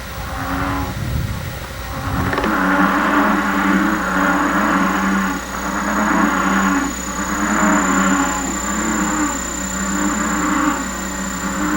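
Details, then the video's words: In a canyon of the La Laguna Range near Santiago, Baja Peninsula, a chorus of American bullfrogs gives deep, droning mating calls that swell and fade about every two seconds, echoing off the rock walls. "In another canyon, rock walls echo the chorus of bullfrog mating calls."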